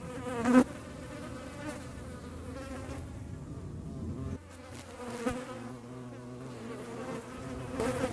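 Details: Flies pursued by a hornet; an even, low wingbeat drone runs through, broken by a loud snap early on and a brief dip midway before the humming returns.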